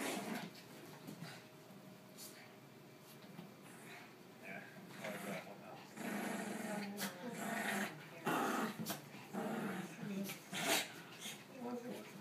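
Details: Three dogs play fighting indoors, low rough growls and snarls rising and falling, with scuffling, thumps and a person's voice in the background.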